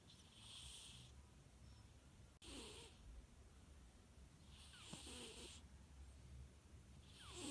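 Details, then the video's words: Sleeping cat snoring softly: hissy breath bursts with a faint low rumble, recurring roughly every two seconds over a quiet background hum. "Cat sleeping and snoring"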